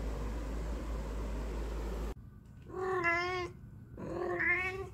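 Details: A domestic cat, a Persian per the hashtags, that meows whenever people are around; after about two seconds of steady low noise, two drawn-out harmonic meows follow, the second rising then falling.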